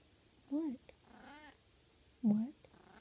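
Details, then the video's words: Russian Blue cat chatting sleepily while napping: three soft, short trilled meows, each a quick rising-then-falling chirp with rich overtones, separated by quiet pauses, in a calm indoor room. "Russian Blue Cat Pillow Talk"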